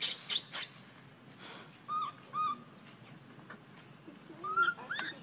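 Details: Baby monkey named Leo crying and begging his mother for milk; several short, thin, squealing cries, some rising then falling, spaced irregularly over a few seconds, with scattered clicks and rustling around them.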